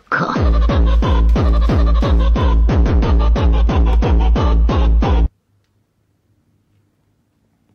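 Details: Loud pounding electronic music with heavy repeated bass beats stops abruptly, leaving near silence.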